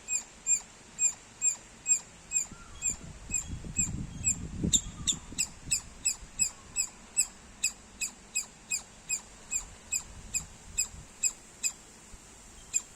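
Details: Sharp, high squirrel chirps repeated around two a second, steady and insistent, while a low rumbling noise swells in the background near the middle.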